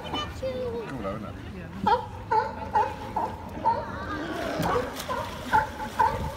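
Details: Sea lions barking in a series of short, harsh, hooked barks, roughly two per second, some overlapping, with people talking in the background.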